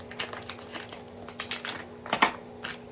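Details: Only crinkling, clicking handling noises are heard indoors, with no animal sound. Sharp broadband taps repeat irregularly over a steady faint hum.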